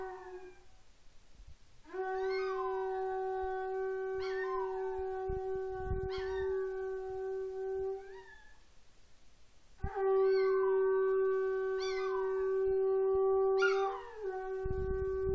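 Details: A female Chihuahua-Miniature Pinscher mix howls repeatedly to a conch trumpet being practiced at home. Two long horn blasts each carry several of her rising-then-falling howls, with a short gap of quieter sound between them.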